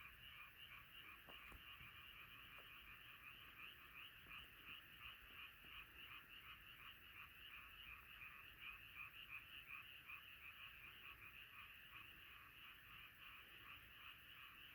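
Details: Massed frogs croaking at night as a chorus, dense pulsed calls repeating near three times per second, overlapping voices swelling slightly midway, a couple of faint clicks early on.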